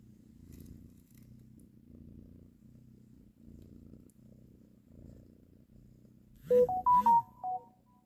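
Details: Mother cat nursing and caressing her kittens indoors, purring in a low, soft, rumbling drone that swells and fades in steady cycles. Near the end a short burst of loud, bright tonal notes like a melody cuts in.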